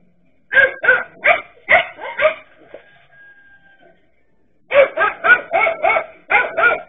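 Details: Dachshund dogs facing a king cobra: a run of five quick sharp barks, a quiet gap of about two seconds, then another fast string of barks.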